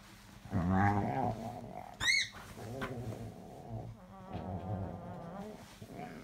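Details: Cocker spaniel Oscar, a male pet dog, asking for love and cuddles: a whining moan near one second, a brief high rising yelp around two seconds, then softer drawn-out groaning whines, with a person speaking.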